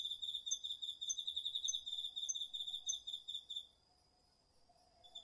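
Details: Crickets and other autumn insects singing at night in a garden vegetable patch, captured on a DR-40X recorder; dense pulsed high trill that stops partway, with sharp accented chirps overlaid and a faint thin whine beneath.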